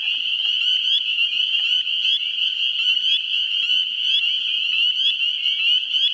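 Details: A dense chorus of spring peepers (Pseudacris crucifer) calls in a New Hampshire swamp in the first week of April, countless high, clear peeps overlapping into a steady shrill ring, with some wood frogs in the background.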